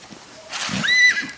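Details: Pérola, a seven-month-old black purebred Lusitano filly at Coudelaria Aguilar, recorded 19 May 2019, gives a brief high whinny: a short, level, tonal cry with bright overtones lasting about a quarter second after some rustling noise.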